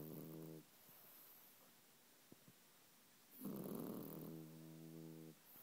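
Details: ['French Bulldog snoring while asleep; two loud rattling snores, each about two seconds long with a buzzy harmonic drone and a noisy rasp, separated by quiet breathing.']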